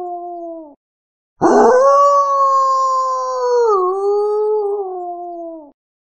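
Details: Gray wolf. A brief wolf howl tails off, then a second, longer one rises sharply, holds a clear, even pitch, dips slightly, and slowly fades. The tone is pure and mournful, with no other sounds around it.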